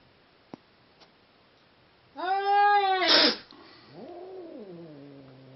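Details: Seal point Siamese cats mating, giving a sudden loud, harmonic-rich yowl lasting about a second that turns into a harsh hissing screech, followed by a quieter moaning cry that rises and then slides downward.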